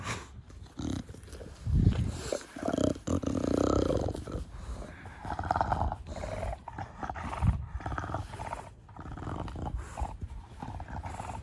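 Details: Pet bulldog named Da Vinci, a short-nosed breed, playing with its owner in a garden, giving the snuffling 'fugo fugo' bulldog breathing: low, rough snorts and roaring rasps in uneven bursts, loudest around two and four seconds.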